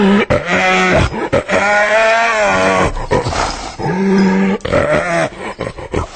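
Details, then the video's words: Hyena making drawn-out, moaning, tonal calls that bend gently up and down, broken by short pauses and sharper throaty notes, rich and harmonic throughout. "Real Hyena Sound I Sonido de Hiena Real I Vrai Son Hyène"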